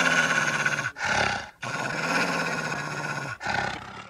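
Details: Wolf growling: three rough, rasping bursts, the middle one longest, each a harsh buzzing snarl separated by short breaths.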